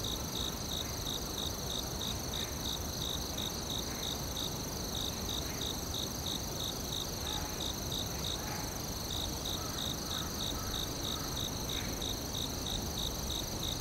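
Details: Forest crickets keep up rapid, evenly spaced chirps, roughly three per second, over a sustained high-pitched insect drone and broad low background hiss; a few faint tonal notes appear briefly in the middle.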